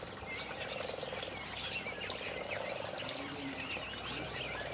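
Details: Frogs at a garden pond on a fine early spring day in 2012, giving a soft, pulsed, purring croak that runs steadily through the clip, with thin bird chirps and whistles above.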